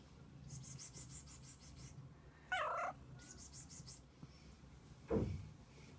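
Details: A mother cat and her kittens spend the day together indoors: a short harmonic meow rises near the middle, followed later by a brief low call, over a steady low hum and soft background rustling.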